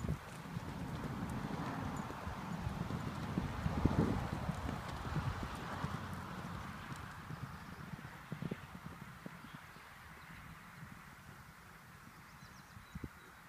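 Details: Horses running out to the pasture: a loud rush of hoofbeats and rumbling at the start that swells around four seconds, then fades to quieter scattered thuds and rustling as the herd moves away.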